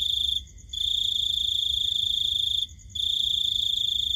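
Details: Night-time cricket with a steady, high-pitched ringing trill lasting about two seconds between brief breaks, the tone unchanging, over a faint low background hum.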